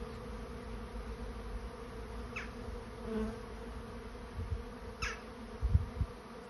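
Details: Honey bee swarm searching for a new home: a steady low droning hum of many bees, with a few brief higher buzzy streaks as single bees fly past close by and low thumps near the end.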